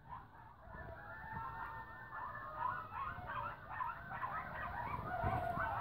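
Nearby, a coyote gives quavering, wobbling howls that climb and dip in pitch. Toward the end the voice breaks into a rapid, excited run of yips and yodels over a low background rumble.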